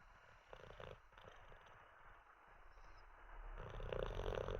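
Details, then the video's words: Teddy, an Olde English Bulldogge, sleeps after treats and a wee. Soft rasping breaths at first, then a louder, rough, fluttering snore swells near the end. "Six minutes of a snoring olde English bulldog"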